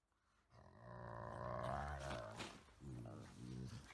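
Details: Pet Golden Retriever play-fighting with a Chihuahua–Shih Tzu mix, uttering odd 'dog talk': a long, low, moaning growl-like vocalization that rises and wavers, then two shorter grumbling bursts near the end.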